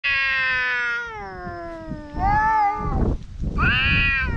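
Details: Stray cats fighting, locked in a dispute: long drawn harmonic yowl sliding slowly downward, then rising and falling wails with a louder, higher cry near the end, broken by rough scuffling noise.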